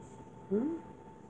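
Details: Leo, a 6-week-old pug puppy, at his breeder's home in New Brunswick, Canada, among his parents and littermates: a single short, rising whimper with a faint upper harmonic over steady low room hum.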